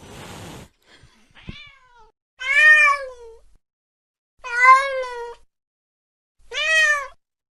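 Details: Cat in pursuit of a mouse late at night, giving three short bright meows, each rising then falling, spaced about two seconds apart. A brief scratchy noise and faint clicks come first.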